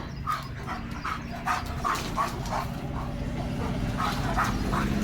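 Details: Leo, a pet German Shepherd, dashing fiercely after spotting another dog; rapid, repeated barks in quick succession over a steady rumbling background, with a vehicle-like noise.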